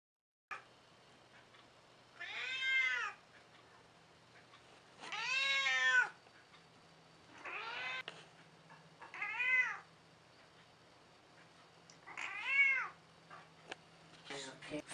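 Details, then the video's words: Fourteen-year-old cat Mitsy, an old and cranky house cat, meows repeatedly indoors: five or six short arched cries every couple of seconds, a low steady hum underneath, a brief thump at the end. "Mitsy Elderly Cat Who Meows a Lot"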